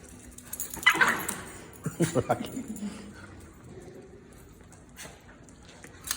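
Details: Small household dogs, among them Lily, Asia, Ozzie, Rocket and Grace, greeting an arriving visitor: a high whimpering yelp early on, then a quick burst of short sharp yips, followed by a quiet room with faint voices.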